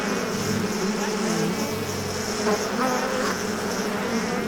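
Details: Collective humming of bees, a thick steady drone with shifting overtones and a faint high hiss, no breaks across the short stretch.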